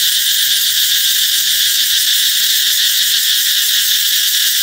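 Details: Summer-announcing cicadas in full chorus, a steady, shrill electric-like buzz sustained throughout with gentle rhythmic pulsing and faint low background sounds.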